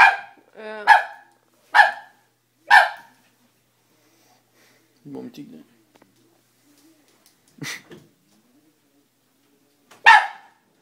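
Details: Dobermann giving a quick run of sharp barks at the start, then a pause with faint low muffled sounds and a few more isolated barks later; indoor setting, possibly with speech nearby.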